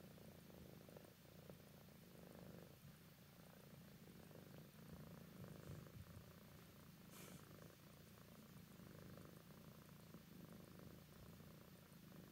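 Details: Minx, an adopted adult female tabby cat of about ten years, sleepy and snuggling up, purrs softly and steadily indoors, a continuous low rumbling drone with no pauses and a faint hiss in the background.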